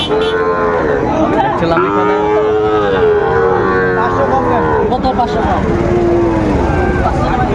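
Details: Sahiwal bull calves at a cattle market bought by farmers in Comilla, Bangladesh, on 18 October 2024; several drawn-out, wavering lowing moos overlap one another through the clip over constant crowd chatter and market noise.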